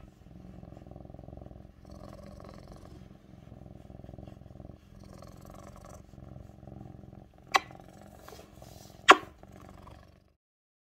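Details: Close-up of a tabby point Siamese cat, Mićo, purring on a lap; rhythmic low purr in breathing cycles, two loud taps late, then silence.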